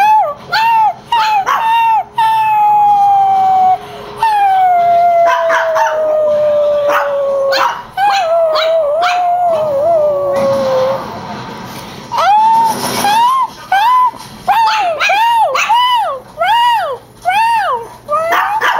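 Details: Two pet Chihuahuas, Gia and Mojo, angered by an annoying whine: long falling howls give way to a quick run of short rising-and-falling yodel-like yips, repeated rhythmically.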